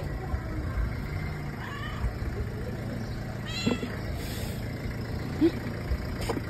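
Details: Stray street cat, excited to see the person who feeds her daily, gives two short rising meows a couple of seconds apart over a steady rumble of traffic, with a few faint clicks and knocks.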